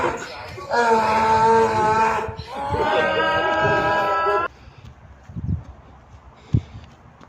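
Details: In Pakistan, a donkey brays a loud, harsh two-part hee-haw, followed by a few faint knocks.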